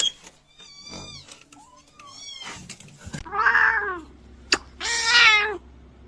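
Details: Kitten meowing indoors: a few faint, thin squeaks first, then two loud, wavering, slightly drawn-out meows about two seconds apart, with light background clatter.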